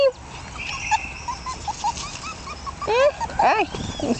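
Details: Jack Russell Terrier puppies at one month of age, born 27 October 2010, from Yeti Romany Storm x Romany Rio. Soft repeated squeaks build into a cluster of rising and falling whimpers in the second half.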